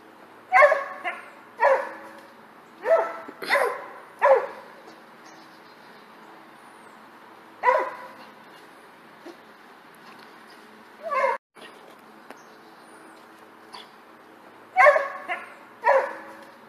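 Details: Dog barking while jumping: a burst of five rapid yelping barks, a long pause, scattered single barks, then a final close pair. Barks are short and harmonic over a faint steady hum.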